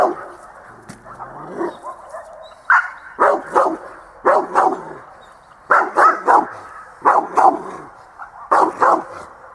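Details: Dog at dog school, December 2013: sharp barks repeated roughly every second or so in uneven groups, with faint speech and room noise beneath.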